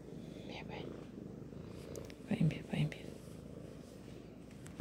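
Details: A pet cat purrs in a continuous deep, throbbing drone, while a person speaks softly in brief bursts over it around the middle.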